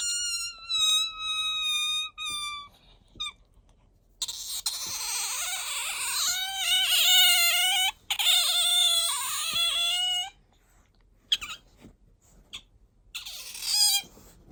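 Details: Pet otter Bingo calling for attention or when sleepy indoors: long whining squeaks with rich harmonics, some steady and some wavering, broken by short pauses and a few clicks.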